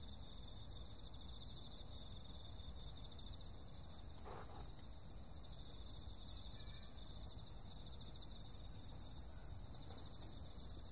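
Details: Continuous shrill insect calls fill a summer night, several high tones sustained together. Midway comes one short, dull broadband thump, with soft low rumble underneath.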